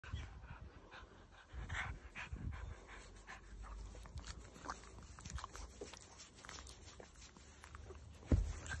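A Boston Terrier pants and snuffles in quick, breathy bursts, with a few soft grunts.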